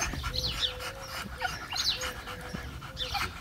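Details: Male French Bulldog, very friendly with people but extremely aggressive towards other dogs, heard during a training session: breathy panting and thin, high, wavering whines recurring about every one and a half seconds over a steady low tone and background rumble.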